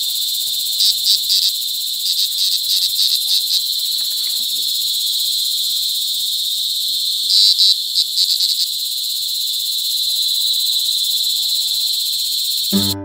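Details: Mating cicadas calling loudly at close range in Brgy. Balabag, La Carlota City, Negros Occidental, on July 18, 2020; a sustained piercing high buzz with bursts of rapid pulsing accents, ending in an abrupt handling thump.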